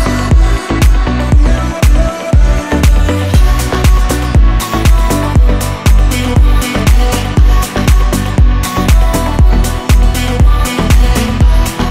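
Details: Upbeat electronic dance music with a driving, steady bass beat throughout, with no animal sounds.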